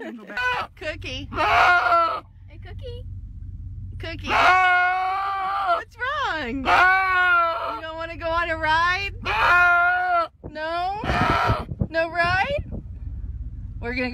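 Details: Loud goat cries: long, wavering, human-like screaming bleats in bursts, some rising then falling, coming roughly every couple of seconds, with a person talking in between.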